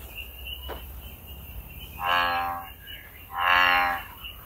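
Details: American bullfrog in nature: two deep, harmonic, droning croaks, each about half a second long and evenly spaced, over a steady high insect-like whine and faint background hum.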